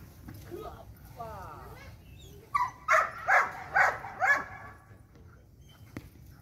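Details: Belgian Malinois at light training: a brief rising whine, then five loud, evenly spaced barks in quick succession, about two per second, ending with a single sharp knock.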